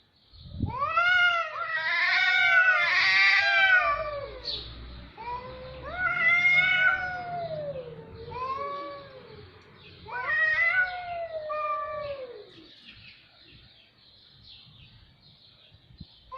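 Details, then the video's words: Cats caterwauling: loud, drawn-out wavering yowls with rich harmonics, each rising then falling, four in a row a couple of seconds apart before the sound fades to quiet. "صوت قطط رهيب"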